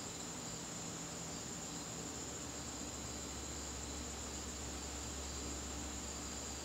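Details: Crickets calling in a garden on a September evening: a steady, unbroken high-pitched trill holds without pause, over a low background hum.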